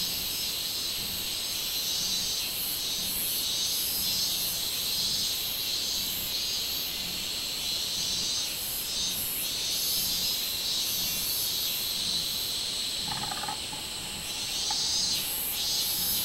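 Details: Minminzemi, the robust cicada, recorded 24 July 2016: a continuous shrill droning chorus with rhythmic throbs in the highest band, and a brief tonal chirp rising out of it near the end.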